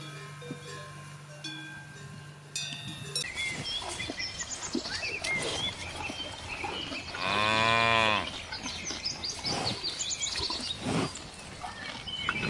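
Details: Pasture cows searching for food in a lush meadow; one loud, harmonic moo lasting about a second stands out from busy rustling and outdoor noise, with faint cowbell tones at the start.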